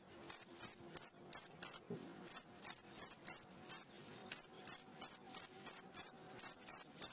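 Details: Night-time cricket song for training cage birds: evenly spaced high, bright chirps, two brief pauses interrupting the run, and a soft thud near the second pause.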